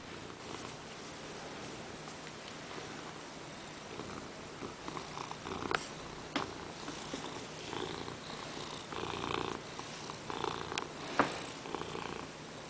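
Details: Ragdoll cat Peanert, a pet indoors, purring after jumping onto a lap during work to demand petting; steady rumbling purr with soft pulses throughout, occasional louder clicks and rustles, and a person's quiet voice nearby.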